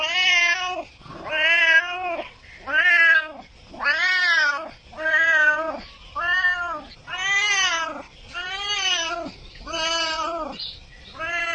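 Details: Domestic cat meowing repeatedly, about ten arched, harmonic-rich meows in quick succession, each under a second long, rising then falling in pitch, with brief pauses between them.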